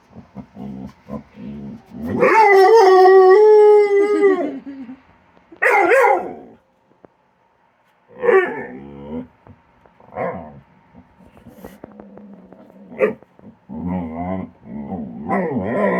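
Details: Domestic dog making playful vocal noises while playing with a companion animal at a tree, snapping at empty air; a long harmonic howl-like wail, then shorter moaning bursts with quiet gaps and soft background sounds.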